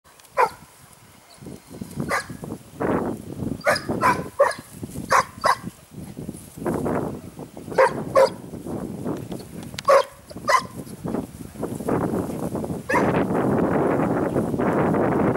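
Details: Segugio Italiano hound out on a training hunt at Sofiko, Evros, Greece, 12 May 2018: short, sharp barks and yelps come in loose clusters, over steady rustling and crashing through undergrowth that grows loud near the end.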